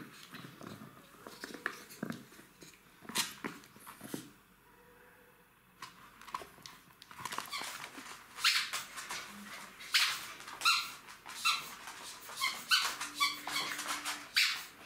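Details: Three-month-old Jack Russell Terrier puppies playing with their mother indoors: scuffling and thumps, then a run of short high yelps and squeaky whimpers, tonal and clustered, repeating in quick bursts over the final seconds.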